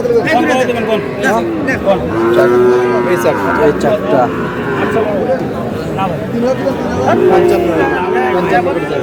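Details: Sahiwal bull calves at a cattle market where a Munshiganj farmer is buying, dated 24/3/26; drawn-out, harmonic lowing moos rise and fall at about two and seven seconds over constant chatter of buyers and sellers bargaining.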